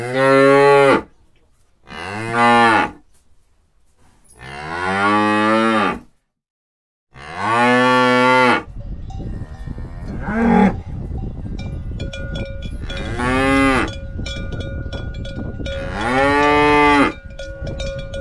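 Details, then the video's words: Moos from cattle, several long, resonant calls with strong harmonics. The first ones are clean, and later ones sit over rustling noise and a faint steady tone. "Cow sound"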